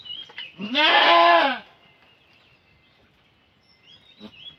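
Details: Goat in labour giving birth, letting out a single long, strained, wavering bleat near the start, followed by quiet with faint bird chirps and a soft distant sound at the end.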